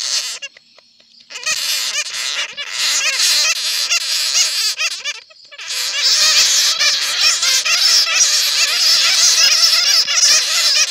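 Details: Netted bats, recorded for a lure to draw in more bats: brief quiet gaps, then a continuous mass of high, quavering squeaks and chattering cries from many animals at once, growing denser toward the end.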